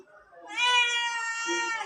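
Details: Domestic cat giving one long, loud, drawn-out meow with a steady, slightly falling harmonic tone lasting over a second, following a person's soft talk.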